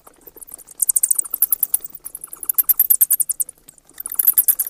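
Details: A bat calls with rapid high-pitched squeaks in quick trains, a steady run of sharp chirps through the middle and a fresh burst near the end.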